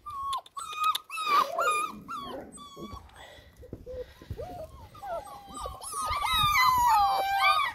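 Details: Six-week-old white Alaskan Malamute puppies from one litter give high, thin whines and yips, several overlapping into a squealing chorus.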